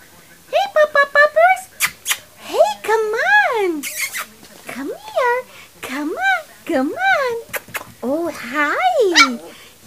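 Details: Three-week-old puppies whining: quick stuttering yelps at first, then a chorus of arched, rising-then-falling squealy whimpers overlapping one another, with faint clicks and shuffling indoors.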